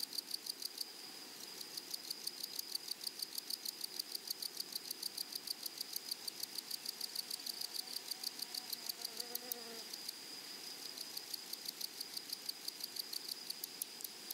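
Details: Meadow grasshoppers stridulating, a dense high-pitched pulsed buzz repeated roughly three times a second over a constant shrill hum; a brief lower rising sound appears near the middle.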